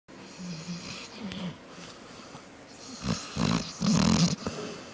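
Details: Juno, a female pet dog, sleeping and snoring loudly indoors; raspy low snores with breathy hiss, strongest in two rough bursts near the end, in a small quiet room.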